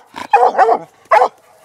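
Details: Young female Black and Tan Coonhound, six months, on a laid coon trail, letting out a hoarse, drawn-out bawling bark followed by one shorter bark.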